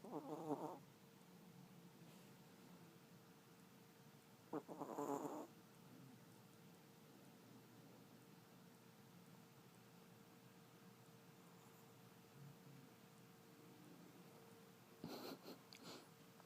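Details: Kairi, a papillon dog weighing about 4 lbs, asleep and snoring; three short, raspy, rattling snore breaths at the start, around five seconds and near the end, separated by long quiet stretches with a faint steady hum.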